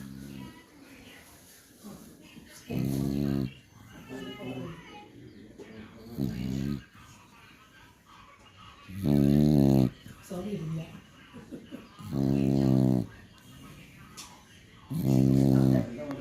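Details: Beagle dog snoring in its sleep, with deep, rough, buzzy snores recurring roughly every three seconds, five clear snores in all, and quieter breathing and snuffling between them indoors.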